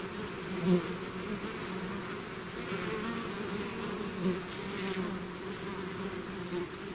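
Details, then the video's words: Natural buzzing of a bee swarm emerging from its hive, a continuous low hum with passing whines of single bees and a couple of brief louder swells. "bees therapy swarm natural buzzing sound"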